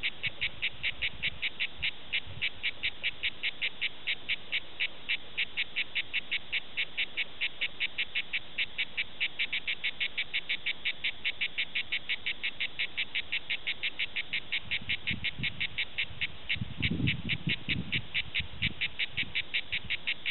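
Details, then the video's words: Cicada orni, a cicada of southern France, singing at Prades: a steady train of harsh buzzy pulses repeated about two to three times a second, with faint low rumbling noise late in the recording. "Concert à La Cigale Prades Cicada orni"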